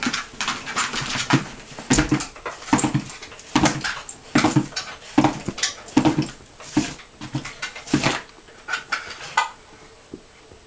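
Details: Holly, a bouncing Miniature Pinscher indoors at dinner time, gives short, sharp yips and whimpers in an uneven run, about fourteen bursts in under eleven seconds, each with a nasal, buzzy ring, in a small room.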